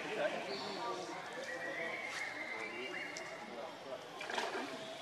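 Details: Baby monkey named Leo crying and begging its mother for milk: a thin, drawn-out whine holding a steady high pitch for about two seconds, with fainter wavering cries around it over a steady background hiss.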